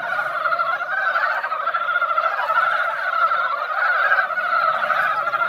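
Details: Mountain frogs gathered at a quiet mountain-valley pond after a light rain, spring breeding time; a dense, unbroken chorus of many overlapping croaks fills the air, steady and rattling without pause.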